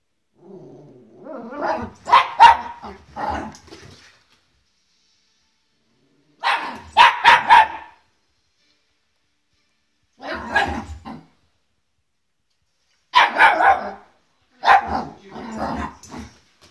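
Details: Olive, a Welsh Terrier puppy new to the family, barks nervously at a guitar she has never seen before: four bursts of rapid, sharp, high yapping barks separated by silent pauses.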